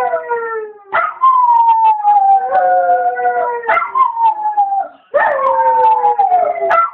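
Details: Dog left home alone howling while its owner was out at the shop for ten minutes; long drawn-out howls sliding gently downward, broken by short yelping breaks about every two seconds, with rich harmonic overtones.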